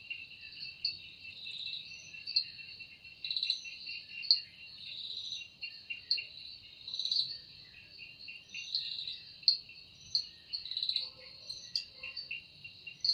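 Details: Evening forest insect chorus credited to a cicada, with wings producing the sound. A continuous high whine carries loud throbbing pulses, and a lower stuttering trill runs beneath. Faint softer notes appear near the end.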